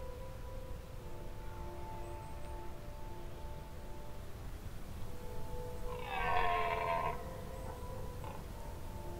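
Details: A red deer stag gives one hoarse, drawn-out roar during the rutting season in a dark Danish forest in low light, over a steady musical drone.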